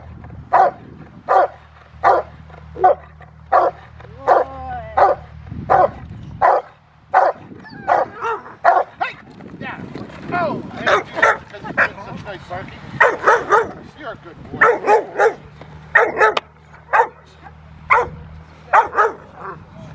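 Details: In rain at Victoria Rottweiler Club, the Rottweiler Willie v Schwarzerwald barks at a helper in December; sharp single barks repeat about once a second over twenty seconds, with some clustered doubles and a low background hum.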